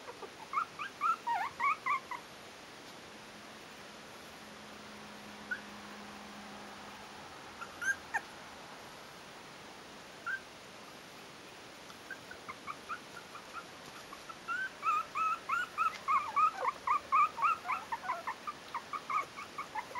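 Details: Litter of four-week-old Yorkshire terrier puppies in a breeding kennel: clusters of rapid high squeaks early on, a quiet middle with a low hum, then a long dense run of repeated whimpering yips.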